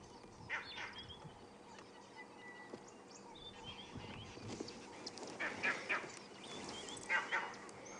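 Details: Monkeys on an African safari drive give harsh, barking alarm calls in scattered bursts, warning of a lion, possibly a male, moving nearby.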